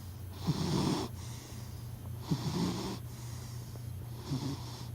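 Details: Sleeping pet cat snoring in close-up, three slow breathy snores about a second long each, rasping low rumbles with a hissing upper wash, spaced roughly every two seconds over a steady background hum.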